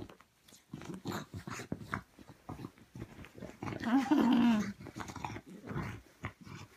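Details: Frustrated bulldog hunting for her ball under bed covers indoors, giving repeated short guttural grumbles and huffs that swell into a longer, louder strained growl before breaking into snuffly bursts again.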